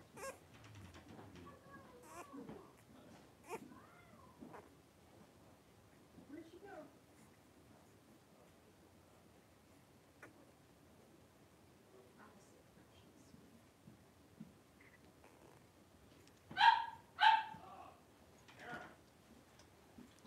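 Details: Playful wrestling among a litter of five blenheim Cavalier King Charles Spaniel puppies, three weeks old, in an indoor pen; scattered faint squeaks and rustling through a mostly quiet stretch, then a pair of loud yelps and one softer squeal near the end.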